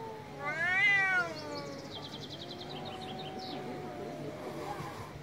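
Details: Angry cat letting out one strong, arched meow that climbs and falls within a second, then trails into a long, low, steady moan.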